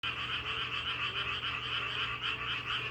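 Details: Frogs calling together as a sound of nature: a dense, steady chorus of rapid, buzzy, trilling croaks that pulses continuously without pause, many callers overlapping into one unbroken wall of sound, with a faint low hum beneath.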